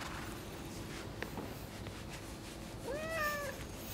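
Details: Friendly white-and-tabby female cat in a Japanese neighbourhood, whose sleeping spot a rival cat has taken over; one short, clear meow near the end that rises and then falls, over a steady low hum.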